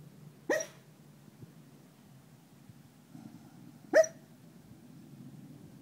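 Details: Dreaming dog barking in its sleep, giving two isolated, soft, clipped woofs about three and a half seconds apart, the second slightly louder, with quiet room hum and faint rustling in between.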